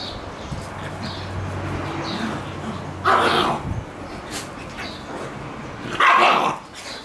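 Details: Adult female black Shiba Inu scolding a pestering black Shiba puppy to stay away because she wants to poop; two loud harsh snapping barks or growl-yaps about three seconds apart, with softer low grumbling before them.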